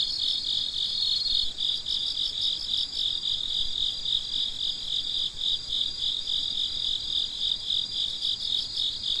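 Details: Crickets chirping at midnight, a dense chorus of high, shrill trilling pulsing roughly four times a second, steady throughout, with faint overlapping callers and no other clear sounds.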